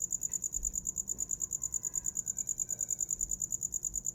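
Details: High, rapid cricket pulses repeat about three times a second in a steady night rhythm, offered as a sound for falling asleep; faint soft tones drift in the background.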